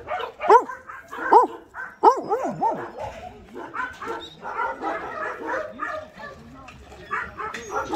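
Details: Abandoned medium and large dogs gathered at a training and adoption shelter in Gyeongju, South Korea; four sharp, yelping barks with bending pitch in the first three seconds, then overlapping human voices and murmur.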